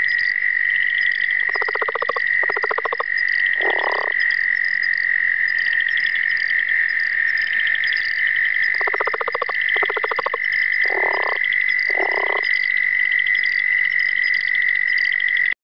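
A southern leopard frog gives bursts of rapid, guttural chuckling pulses over a steady high-pitched chorus.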